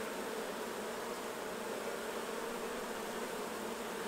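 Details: Many honey bees droning at the hives during honey harvesting; a loud, unbroken, hissy buzz fills the whole stretch at a constant level.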